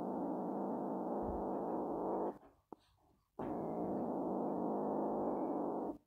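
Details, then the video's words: Kitten named Zorro growling to keep others away from his toy, a sustained dog-like low rumble for over two seconds, a short break with a click, then another long even growl, indoors. "Cute Kitten Growls like a Dog"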